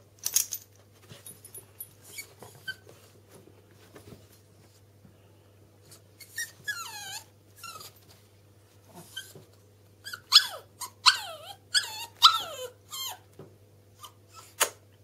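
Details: Bichon frise Millie, Chihuahua Alfie and Yorkshire terrier Louie, three pet dogs at the top of the stairs indoors; thin high whines and squeaky whimpers, some sliding downward, come in bursts, thickest near the end, over a steady low hum.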